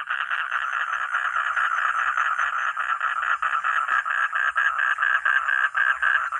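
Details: Continuous dense croaking from a frog, the rasping pulses running together into a nearly unbroken grating trill with occasional small dips.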